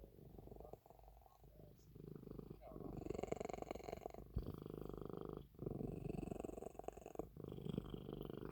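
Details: Purring from an elderly cat, a low rough rumble broken by short pauses near one, four and a half and seven seconds, with some hissy higher noise over it.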